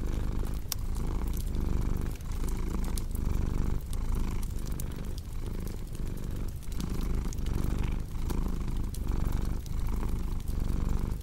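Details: Domestic cat purring steadily in a relaxation mix with a cozy fireplace. The low, rumbling purr pulses in regular breath cycles under a second long, with crisp crackles and pops from burning wood scattered throughout.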